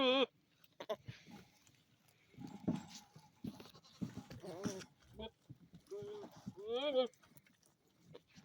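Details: Male billy goat making unusual funny noises, unlike the rest of the herd; wavering, quavering bleats rise and dip in pitch, scattered among human talk and clattering sounds.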